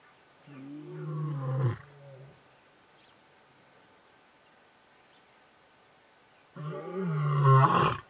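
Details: Male lion in Hwange National Park near Detema Dam, 20 October 2019, roaring to keep the competition away. Two loud, deep, rasping roars swell and break off, separated by about five seconds of near silence.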